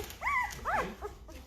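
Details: Five-day-old Great Bernese pup, litter named Chandler, Joey, Monica, Phoebe and Rachel, out of Lacey the Great Pyrenees by Castle the Bernese Mountain Dog: two sharp, bending squeals, then a faint trailing whimper.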